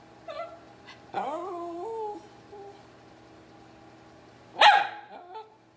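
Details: Teddy Bungoo, a hungry miniature red poodle, whines for dinner indoors: a wavering, rising nasal whine sliding up and holding for about a second, then one sharp, loud bark near the end, with a steady low hum behind.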